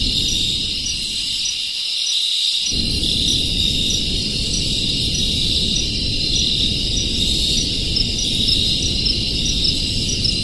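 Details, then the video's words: A crowd of crickets keeps up a continuous high buzzing trill, layered and unbroken, while a heavy low rumble runs beneath and drops away briefly near the start. "Crickets ASMR | Community Party of Crickets - Crickets Sounds"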